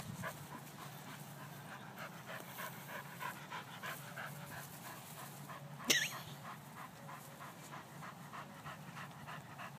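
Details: Soft-coated Wheaten Terrier rolling on the ground at a dog park, panting in quick, steady, breathy puffs throughout, with one short sharp sound near the middle and low outdoor background noise.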